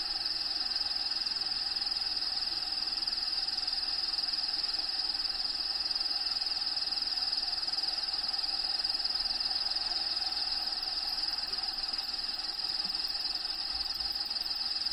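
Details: Shrill, high, unbroken pulsing of crickets within an actual bearded dragon vivarium, Diego's enclosure, habitat sounds playing behind; fast even beats of about four per second run the whole stretch above a low steady background hiss.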